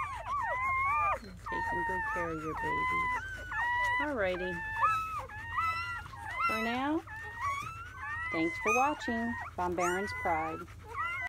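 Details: Litter of seven German Shepherd puppies born May 7 into May 8, 2017, during their first hours: a steady chorus of high, bending whines and short squeaky cries overlapping, with deeper choppy cries breaking in now and then.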